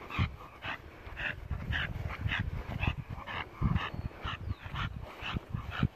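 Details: American Bully dog from ÁTOMOS BULLS KENNEL in Colombia, breathing in steady, breathy huffs about twice a second, each with a deep low thump beneath a hoarse upper band, continuing without pause.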